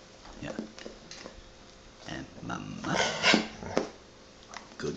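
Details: Pet female golden retriever indoors, prompted by its owner to copy speech and say "mama"; short moaning, voice-like vocal bursts peak midway, loudest near the third second, mixed with the owner's coaxing words before and after.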